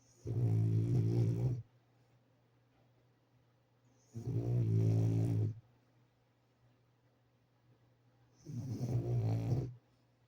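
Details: French Bulldog asleep, snoring in a slow, steady rhythm: three deep, rasping breaths roughly every four seconds, each about a second and a half long, separated by near silence.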